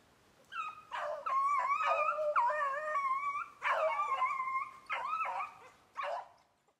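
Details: A Beagle conditioned on snowshoe hare in Maine, July 2019, bays almost without pause. The bays are long and ringing, with pitch that rises and wavers, broken by short yips, then trail off into a final clipped cry.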